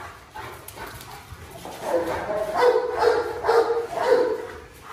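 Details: Thin Presa Canario named Xuanfeng, during a difficult medicine feeding by its owner: short tonal yelping barks repeated about twice a second in the second half, after a quieter opening.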